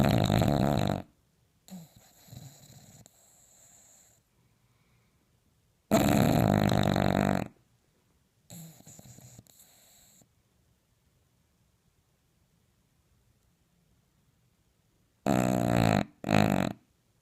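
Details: An English Bulldog snores loudly at night, as it typically does, with harsh, rattling inhalations separated by quieter, wheezy breaths.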